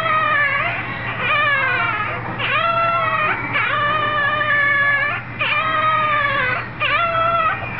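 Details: A puppy learning to howl gives long, wavering, high-pitched howls, each swelling and bending downward over about one to two seconds, repeated with brief breaths between, almost like a crying infant.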